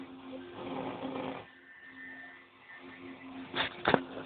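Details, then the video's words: Brother, a house cat, snores softly: one rasping breath of about a second against a steady low hum, followed by quiet and two sharp clicking noises near the end. "kitty roncando"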